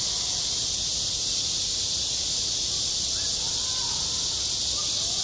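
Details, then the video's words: Cicadas singing on a school playground in midsummer: a dense, unbroken high-pitched hiss that holds steady throughout, with a few faint soft chirps beneath it. "한 여름 운동장에서 매미가 울고 있다"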